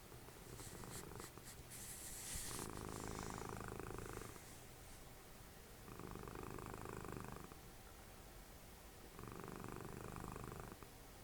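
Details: Cuddly cat Dessie, mother of Fritjof, snoring during TV watching. Brief rustling clicks come first, then three rhythmic, grainy rumbles of roughly a second and a half each, evenly spaced with quiet breaths between.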